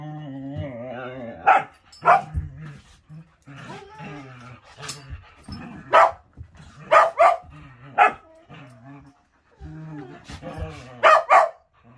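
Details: Whippet during morning play indoors: low, rumbling growls with steady harmonic bands, broken by sharp barks around two, six, seven, eight and eleven seconds, then more growling.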